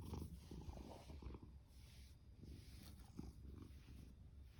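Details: Orange tabby rescue cat Fasu, male, born October 2019, purrs and snores loudly: a steady low rumble broken by soft rhythmic breaths.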